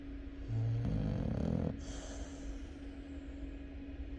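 A Chow Chow gives one deep, rumbling snore, then settles into quiet breathing over a steady background hum.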